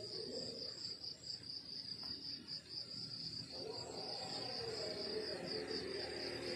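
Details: Crickets chirp through a rural morning, their high rhythmic pulses continuous and even, with a faint click and soft mid-range background sounds.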